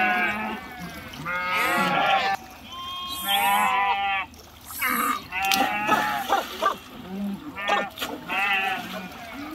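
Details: Flock of sheep swimming across a river after jumping in. Repeated tremulous, wavering bleats, roughly one every two seconds, from several animals at different pitches, some short and nasal, others drawn out.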